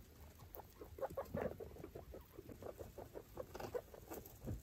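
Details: Five baby foster guinea pigs and their mother exploring a freshly cleaned cage; soft, short, low pulses repeat in quick bursts, mixed with rustling bedding and pattering feet.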